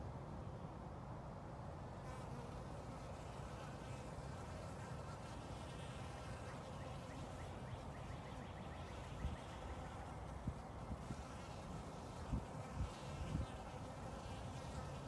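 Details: Several honey bees gather at water in a 5-gallon bucket lid on a spring day, late March 2021; a continuous low hum of wings, with a few short louder bumps near the end.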